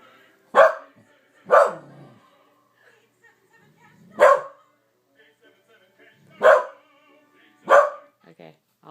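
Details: Pet corgi bitch indoors, barking at a television commercial that always sets her off: five sharp, loud single barks spaced one to two seconds apart, with a woman's soft voice talking to her in between.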